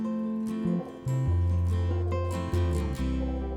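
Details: Strummed acoustic guitar music with low bass notes; no animal sounds are heard.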